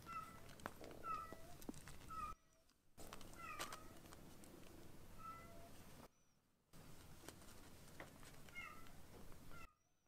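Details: Two young rescued kittens being weaned, giving thin, high, short mews repeated every second or so, over steady room hiss with brief gaps of silence.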